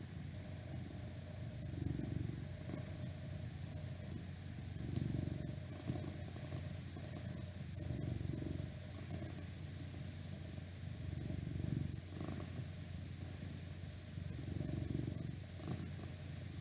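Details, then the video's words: House cat purring in a whispered ASMR recording: a low, vibrating rumble swelling and fading in waves every two to three seconds, each swell matching a breath, over constant background hiss and outside noise from a window. "Cat Purring"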